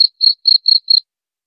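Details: Cricket chirping, offered as a sound to drive away rats: five short, high, buzzy pulses in quick even succession over about one second, then silence, with no other sounds.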